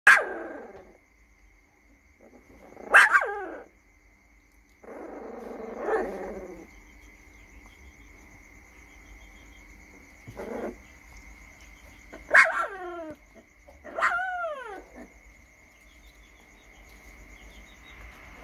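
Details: Female Rottweiler puppy Loki, 20 days old, at the Gervi Rottweiler kennel in Hanoi, barking as a threat. High, strained yelping barks with bending harmonics come in about six separate bursts over eighteen seconds, with a steady high electrical tone behind.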